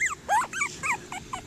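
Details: Cockapoo puppies, one of a litter of seven, playing outdoors and clambering over a person; a quick run of high, whiny yips and whimpers, each sliding downward, about five in a second and a half.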